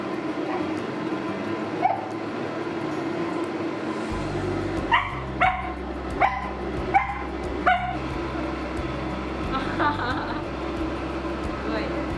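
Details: Shetland Sheepdog Kai, afraid of the hair dryer during grooming and seeking help, gives a run of five sharp, high yelping barks less than a second apart midway, over the steady hum of a dryer with human speech.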